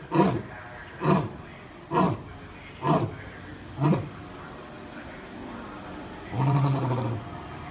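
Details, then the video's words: Lions give deep, short grunting roars about once a second, then one longer rumbling roar. "roaring lions"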